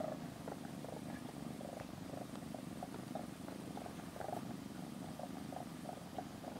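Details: Domestic cat in a cat room, where rescued kitten Aira sleeps beside cat Shipi touching Shipi's hind legs, gives a steady, pulsing purr with a rapid, even throb throughout, against a noisy hiss.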